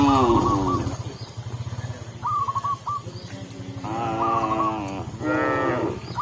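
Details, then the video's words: Tame cow led back to the pen by a village shepherd in a rural setting: two extended, harmonic-rich moos spaced a few seconds apart, over a low rhythmic hum and a short repeating musical figure. "Cow Sound, Funny Cow, Cow Moo"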